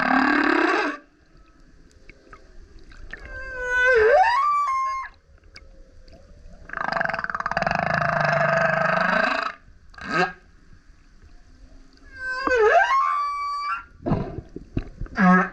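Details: Male humpback whale singing very loudly while surfacing beside a kayak: harmonic howls sweeping up and down, sliding whoops near 4 and 13 seconds, a long broad roaring burst mid-clip, and short grunting pulses between quiet gaps.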